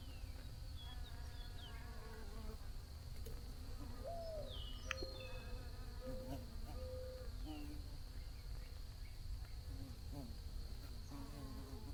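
Bees hum in a steady, low buzz, with a few faint bird chirps in the background.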